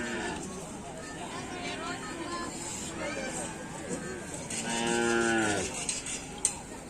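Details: At a Karapan Sapi bull race on Sapudi Island, a short, fairly low moo lasting about a second rises out of steady crowd noise and murmuring voices. A sharp knock follows just after.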